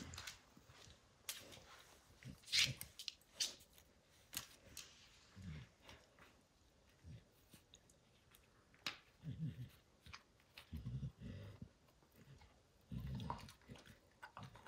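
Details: While Max destroys a baseball hide, the dog's gnawing comes as scattered crisp snaps and scratchy bites, with low muffled thumps clustering in short runs between quieter pauses.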